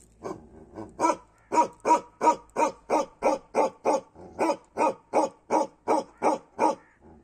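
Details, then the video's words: Bakharwal dog, a Kashmiri breed, barking in a long volley of deep rough woofs, starting with a few softer barks then settling into a rapid regular run, ending abruptly. "Bakerwali dog barking kashmiri bakerwal dog"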